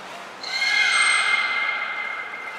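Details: Captive beluga at Port of Nagoya Public Aquarium, 14 March 2021, during pool transfer and training with Hodoi, Taanya and Mirai: a sudden, even, reedy whistle held steady for about two seconds, with a faint high thin tone above.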